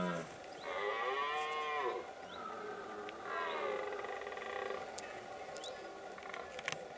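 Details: Red deer in rut during the late-September breeding period, in a remote Pyrenean mountain area used as summer pasture for cows and horses. Two long, groaning harmonic bellows, with faint clinks of animal bells afterward.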